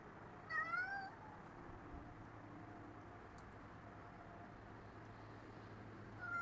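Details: Rocky the cat in a backyard on December 16, 2010, gives a clear rising-then-falling meow near the start and begins another at the end, over steady low traffic hum.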